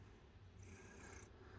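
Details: A happy domestic cat lying on its owner's shorts purrs, a soft, steady low rumble that carries on without a break.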